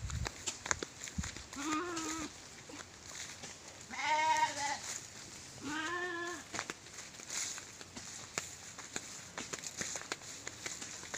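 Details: Sheep grazing in a rice field in the afternoon bleat three times, wavering, nasal cries roughly two seconds apart, amid outdoor hiss and scattered clicks.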